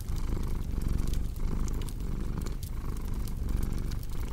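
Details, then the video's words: Domestic cat purring steadily, a deep continuous rumble that swells and fades in cycles of roughly half a second, layered with sharp crackling and popping from a cozy fireplace. "Purring Cat"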